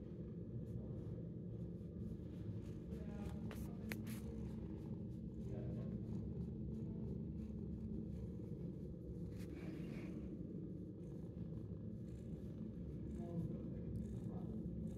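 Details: Ten-month-old shelter cat, fond of attention, purring in a long, even, low rumble that pulses rapidly and never pauses, with scattered faint clicks and a soft rustle midway.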